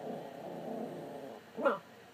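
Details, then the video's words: Chatty pet dog named Putter 'talking' with its owner: a soft, drawn-out rumbling grumble for over a second, then a short, sharper yipping vocal burst near the end. "Putter the talking dog"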